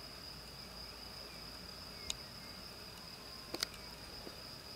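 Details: A grasshopper sings a steady, high-pitched continuous trill on a spring day, broken by a few faint clicks.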